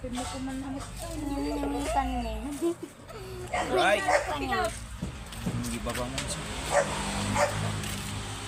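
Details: A Dachshund at a stud service in Asingan, Pangasinan, Philippines, whines and cries with short yips while people talk nearby.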